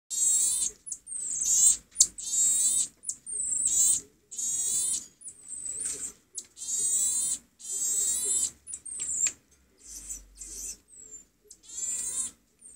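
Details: Infant common marmosets, triplets and twins aged two weeks and 26 days, taken in from their mother and meeting a neighbouring baby. They give repeated high, shrill, harmonic-rich cries with thin whistled notes between them, in bursts about every second.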